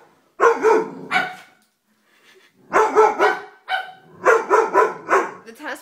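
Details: Doberman dog in a funny home compilation barking in three clustered bursts of two to four rough, loud barks separated by short pauses.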